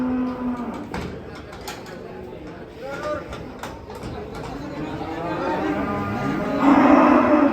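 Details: Agitated cow being unloaded from a truck, its face covered by a cloth that handlers think frightens it: a low moo opens the clip and a louder bellow closes it, with handling thumps and Indonesian voices in between.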